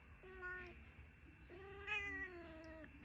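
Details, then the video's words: Pet cat talking back indoors, heard faintly: two drawn-out, slightly falling meows, the second longer with a brief higher lift, over a low room hum. "Mommy’s little chatter box"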